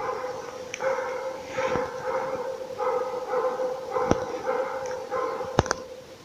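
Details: A Laika holding a moose at bay on an elk hunt, barking steadily in the distance. Quick barks come in short bursts of several, with brief pauses between them and occasional sharp knocks close by.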